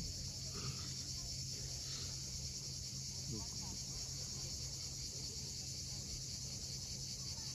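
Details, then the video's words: Evening cicada chorus on a steep shore at Cape Fiolent, Crimea: continuous high, even hiss without pauses, layered over the dull roar of waves, with a couple of soft faint chirps early on. "Cicadas at sunset."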